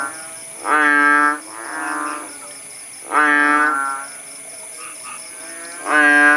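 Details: Rural chorus of kodok bangkong frogs after rainfall eased in Paya Bujok Tunong, Langsa, Aceh. Groaning, honk-like calls come about every two to three seconds, loud ones alternating with fainter, shorter replies over a constant shrill insect hum.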